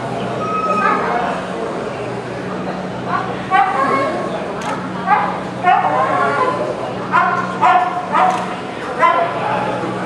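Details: A Shiba Inu gives short, sharp, high barks and yips in quick bursts over a busy indoor murmur at an FCI dog show.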